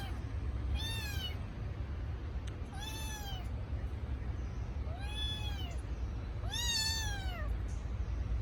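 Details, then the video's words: Kitten crying for its missing mother: four high, arched meows about every two seconds, each rising then falling with bright overtones, over steady low background rumble. "Adorable kitten sound cry miss mother"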